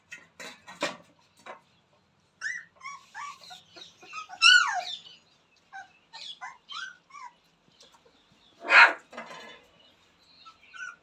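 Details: Jerry the Rottweiler's newborn puppies playing, producing a string of short squeaky whines and yips, one rising-then-falling squeal standing out, and a loud broadband yelp later, with brief pauses between bursts.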